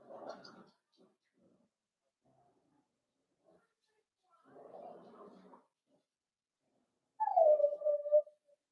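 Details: Four-week-old Cavalier King Charles Spaniel puppies in an indoor puppy pen, with a short falling whine, steady then dropping, near the end, after two soft rustling bursts of movement.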